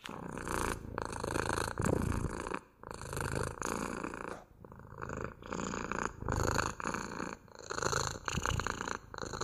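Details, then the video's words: Cat purring indoors, a continuous grainy rumble in breath-length waves, each swell about a second long separated by short gaps. "МУРЧАНИЕ | ПОЛЧАСА МУРЛЫКАЕТ КОШКА!"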